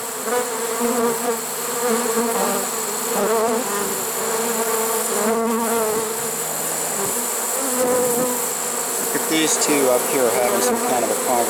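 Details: Honey bee swarm caught in a swarm trap on 1 September 2019, late in the season; many bees make a dense, continuous droning hum throughout, with a short human voice near the end.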